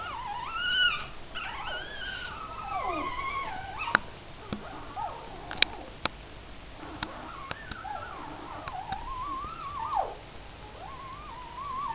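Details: A mother dog, Missy, and her four pups: continuous high whining and whimpering that wobbles up and down in pitch, broken by a few sharp clicks and taps, the cries fading and returning near the end.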